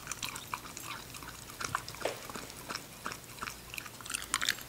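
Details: Ginger, a female English Cocker Spaniel puppy, eating: crisp crunches and wet bites as sharp bursts every half second or so, with a faint steady hum underneath.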